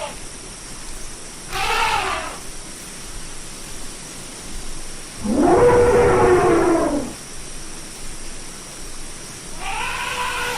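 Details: Elephant trumpeting: three harsh, harmonic blasts at roughly four-second intervals. The middle blast is loudest and about two seconds long, sliding slightly downward. A steady background hum runs throughout.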